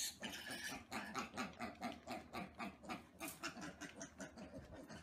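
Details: Little piglets, known as micro, teacup or mini pigs, grunt in a steady run of short, rhythmic, nasal pulses, about three each second, with no pause across the whole stretch.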